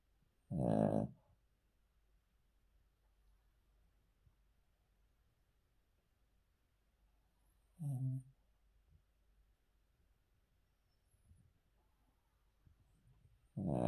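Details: Male Cavalier King Charles Spaniel asleep on the floor indoors, snoring softly: a low, rasping breath at the start, another about seven seconds later, and a third at the very end, with near silence in between.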